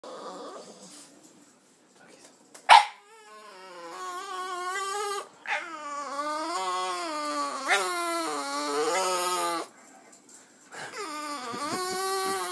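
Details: Female Boston terrier making funny noises at the sight of other dogs on television: long, drawn-out harmonic whining howls that waver, rise and fall in several sustained phrases separated by brief silences.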